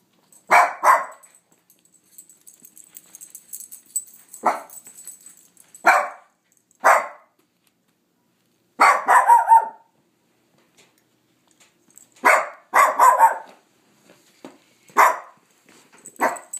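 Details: Barking at nothing, pet dog Sofia sends out irregular bursts of short barks, some single and some in quick clusters, with a faint high ringing tone and small clicks between them.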